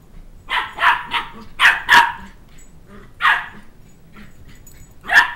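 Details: Two-month-old Shetland Sheepdog pup barking while chasing a two-year-old who took his stuffed toy dog head around a coffee table; bursts of shrill yapping barks, some in quick pairs, with short pauses between.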